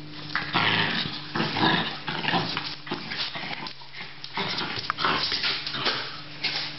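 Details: Australian Terrier giving rough, broadband barks and growling bursts in uneven clusters, with short pauses between loud volleys and a low steady hum underneath.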